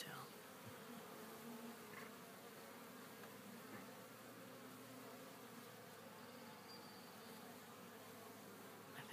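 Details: Honey bees at a newly hived Warre colony on day two, calm and busy with cleanup; a constant low humming drone runs throughout, with a brief faint tone near the end.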